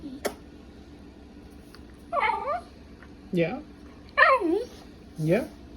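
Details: A male Welsh Terrier gives a few short, warbling whine-like noises that wobble up and down in pitch.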